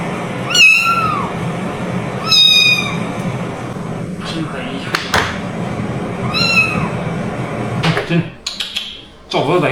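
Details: At night a rescued stray kitten keeps meowing, unwilling to go outside to relieve itself, seemingly complaining about the cold: three bright, downward-bending meows, with sharp clicks and handling noises between them.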